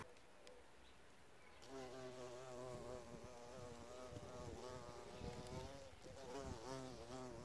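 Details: Bees visiting an insect hotel: after a quiet start, a loud rich buzz swells in, wavering up and down in pitch as an insect hovers close, fading slightly and returning near the end.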